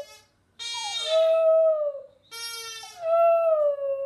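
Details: Border Terrier named Hamish singing in two drawn-out howls, each starting with a brief upward slide and then holding a steady wavering tone for over a second before fading.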